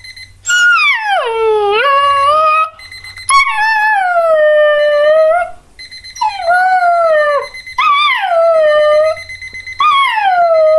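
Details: A Border Collie puppy, Revel, howls along with a beeping alarm clock: five loud mournful howls in a row, each dipping then rising and falling, over the clock's regular electronic beeps.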